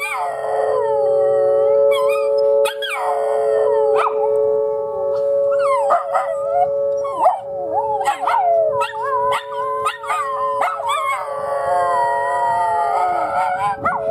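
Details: Two Miniature Schnauzers howl together at noon on a Saturday in Oklahoma City, their wavering, sliding voices answering a steady wailing tornado siren test they dislike.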